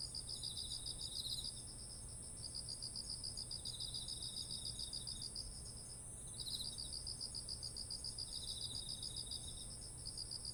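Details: Beside fields of ripe rice in autumn, insects trill in rhythmic high-pitched bursts of a few seconds each, broken by short pauses, with a softer second chirper overlapping and a continuous thin high drone behind.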